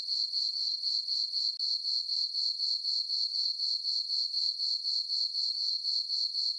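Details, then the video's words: High, ringing cricket chirps from a moonlit summer meadow on a farm at night, pulsing at about four per second, broken by one brief dropout early on, otherwise continuous and alone. "Cricket chirping sounds for sleeping"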